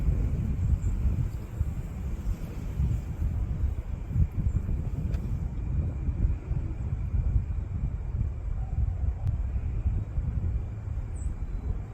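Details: Strong, steady wind roars across a rural outdoor spot on a blustery day in Virginia, dominated by deep rumbling gusts with no animal voices.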